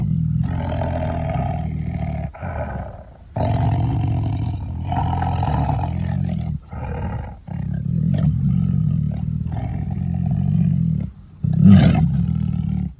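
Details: Long sequence of deep, harmonic tiger roars in drawn-out phrases with short gaps, ending with a sharper, louder burst near the close.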